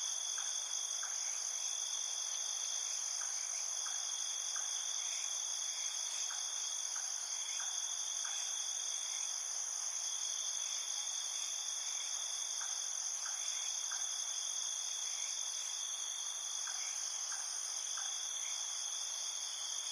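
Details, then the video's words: Crickets calling through the night in a field, an even, sustained high-pitched chorus in several overlapping bands, punctuated by scattered quiet short chirps throughout. "Crickets in Night Field Sound"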